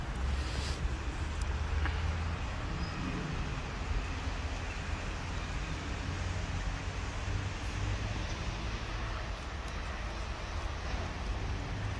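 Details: Continuous outdoor traffic rumble and road noise with a low engine drone and a few faint clicks; no animal sound is heard.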